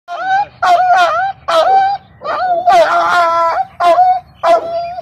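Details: Aggressive adult female Rottweiler, handled for treatment of a maggot-infested wound with healing spray, gives high, tonal, whining yelps in about six short bursts, with people speaking Hindi nearby.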